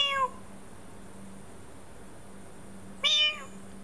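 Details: Meows heard by a sleeping domestic cat that still responds with its tail: two brief, clear meows, one at the start and one about three seconds later, against a constant faint hum.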